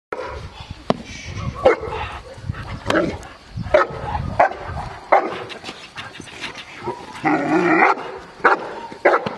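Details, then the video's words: Cane Corso named Aaron, 14 months old, during IPO training at Cascina Crimea, Cavagliano (NO): deep, loud barks come in bursts every second or so, with other sharp noises and talk in between. "AARON CANE CORSO 14 MESI ADDESTRAMENTO IPO"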